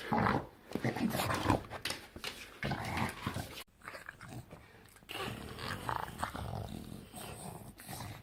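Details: Bulldog producing weird gremlin-like sounds, a mix of low growls, snorts and wheezy grumbles in uneven bursts, quieter in the second half; indoor room with voices in the background.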